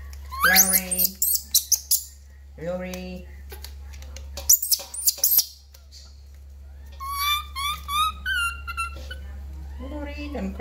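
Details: Baby monkey named Lori crying loudly while being given a bath indoors: bursts of high, squeaky, wavering cries, short early yelps then a longer run of rising squeals, with a person talking and a steady low hum underneath.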